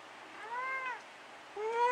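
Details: Pet cat Dusty meowing at night indoors, part of a back-and-forth exchange with his owner; two clear harmonic meows, the first arching up and falling, the second rising steadily and still climbing at the end, with quiet room hiss.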